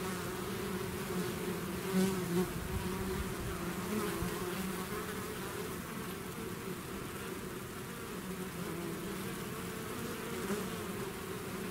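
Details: A bee swarm out of its hive fills the air with a steady, low, droning hum of many wingbeats.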